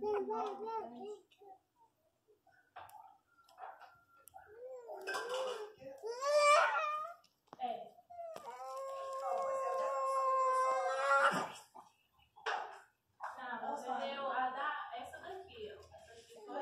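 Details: Hungry newborn Miniature Pinscher puppies crying while nursing indoors: high wavering whines, a rising squeal, then a long drawn-out harmonic wail, with people talking close by throughout.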